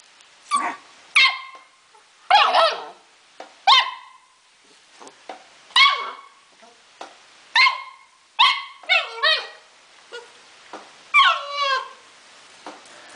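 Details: Yuki, a 4-month-old Akita Inu mix puppy who loves to play, gives high, sharp barks and yips in short, uneven bursts.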